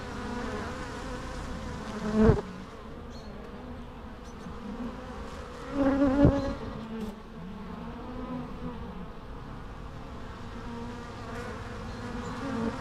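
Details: Natural bee sounds: a constant low hum with two loud bees buzzing close past, one briefly and one for longer, their pitch sliding as they fly by.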